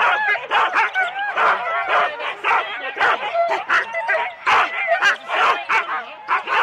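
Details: Husky teams of four dogs at the race start, Rendlesham, January 2016, captured on analogue cassette: a frantic jumble of sharp barks and high wavering yips from many dogs at once, continuous and loud.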